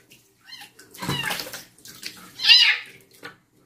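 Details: A young female stray cat protests her first nighttime bath with thin, shrill mews mixed with water splashing and scrabbling; one louder, harsher cry rises near the end before fading into small squeaks.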